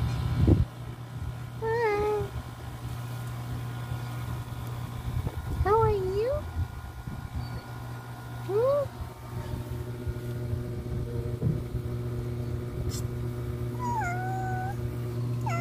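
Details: Wary ginger cat, a returning visitor that walks away when approached, meows four times with bent, wavering tones spaced a few seconds apart, against a constant low hum and faint background sounds.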